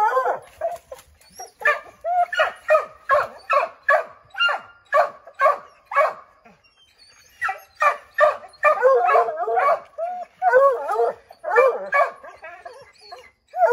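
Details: Redbone Coonhounds Bo, Luke, Lulu, Cooter and Jesse treeing a chipmunk in an oak tree, barking and howling to drive it out; overlapping sharp barks mixed with wavering bays from several dogs, with a short lull near the middle.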